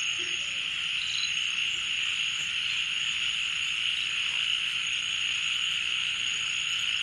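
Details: Late-night crickets in Srimangal, Bangladesh, produce a constant shrill, hissing trill that fills the background evenly, topped by a fine high whine and a brief faint chirp near the start.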